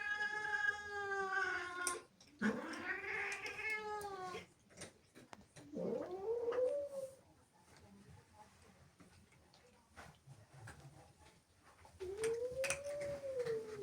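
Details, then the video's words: Angry female house cat, jealous of playful kittens that sneaked into her home, lets out long harmonic yowls: a wavering drawn cry, then a rising-falling wail, a short upswept moan and a final arched call, with quiet pauses between. "Angry cat makes incredible sounds"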